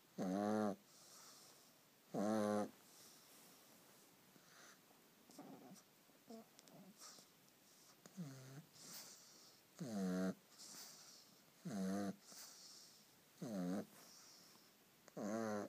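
A pug snores loudly, each rasping, buzzy breath repeating roughly every two seconds.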